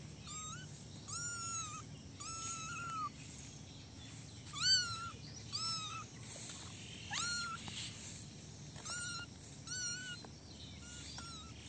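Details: A basket of little kittens playing, giving repeated high thin meows, each a short rising-then-flat cry, several overlapping and coming about once a second, over a steady low background hum.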